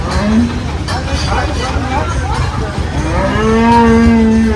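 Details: Cattle at the Aotapara cattle haat on 24 May 2026: a brief low moo at the start, then a sustained, level bellow through the final second, set against heavy vehicle drone and chatter.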